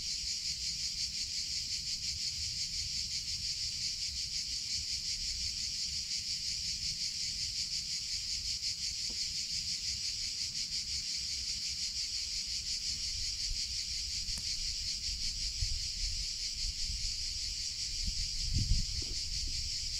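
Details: Summer cicada chorus: a continuous shrill, pulsating buzz held at a constant loudness throughout, with a few soft low thumps and rustles near the end.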